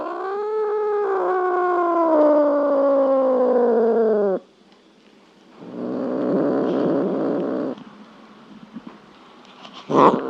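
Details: A cat gives one long, low, slowly falling drawn-out meow lasting about four seconds, followed by a burst of broad rough noise and a brief sharp sound at the end.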